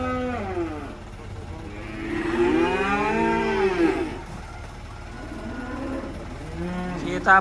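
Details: Black sacrificial (kurban) cattle being unloaded from a truck in Indonesia: a long, rising then falling harmonic moo swelling in the middle, with shorter lowing at the start and end, engine rumble and voices behind.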